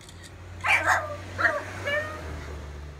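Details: A puppy from a breeder gives a few short, high yips in quick succession, the loudest two close together near the start, over a steady low hum.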